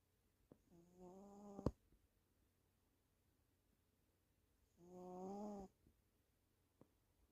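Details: Sleeping female house cat snoring indoors through the day: two drawn-out, nasal, buzzing snores about four seconds apart, each roughly a second long with a faint hiss, quiet room between breaths.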